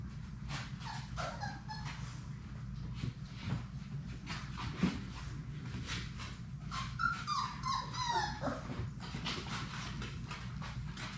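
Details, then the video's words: Labrador Retriever puppies, a litter of six, playing together in their play room; a drawn-out, high, wavering whimper with falling glides rises over constant scuffling, thumping and clattering of play. "Labrador puppies at play!"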